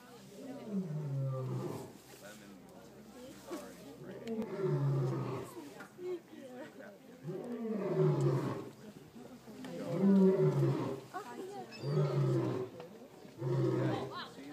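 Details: A white lion at Toronto Zoo in 2012 gives a series of deep, rumbling roars, each a low, heavy burst.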